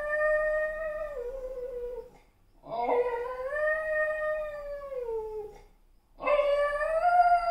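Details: Dog howling in three long, mournful notes rich in overtones, each starting strong, wavering, then sliding gradually lower before fading, separated by short silent breaths; the last howl rises again.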